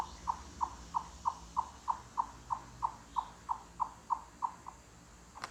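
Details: Chipmunk's loud knock-on-wood clucks echoing through a mountain forest, made with full body effort; a run of fourteen short, even knocks about three per second, then a pause, over a faint background.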